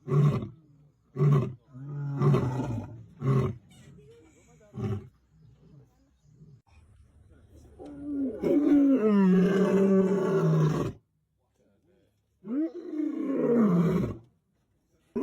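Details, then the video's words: Lion on safari giving several short deep grunting roars, then a long, loud, moaning roar lasting about three seconds, followed after a pause by another drawn-out groan. "the king JR is making noise"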